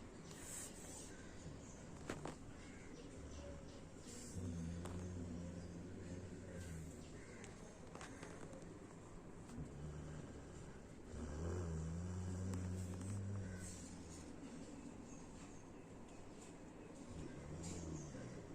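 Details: A Rottweiler snores in low, rumbling drones that rise and fade every few seconds.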